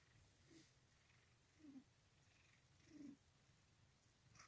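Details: Cat resting in its owner's lap purring very softly, low breathy rumbles in slow pulses about every one and a half seconds, close and quiet.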